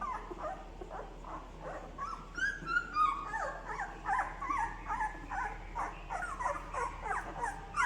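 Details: Newborn Labrador Retriever puppies, ten days old, searching for their mother: a chorus of high, wavering squeaks and whimpers, several pups overlapping in rapid irregular bursts, some rising then falling, indoors.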